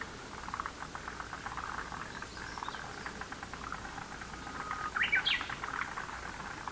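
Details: Lotus pond frog chorus: steady trains of rapid pulsed croaks overlapping throughout, with a brief bird chirp breaking in near the end.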